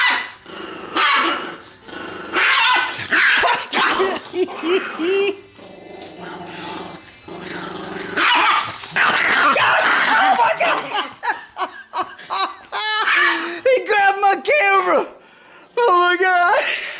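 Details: A 4 lb Chihuahua named Leon, two years old, defends his T-bone steak bone and intimidates Gza-gza, a fawn Doberman. Rumbling growls give way to rapid, rising yipping barks near the end, with a person talking excitedly throughout.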